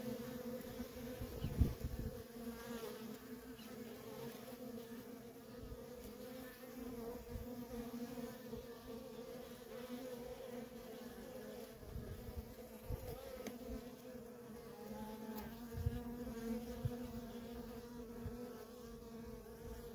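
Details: Nonstop traffic of worker honey bees at a feral colony: a sustained, unwavering hum lasting throughout, with a brighter overtone above it and occasional soft clicks and low knocks.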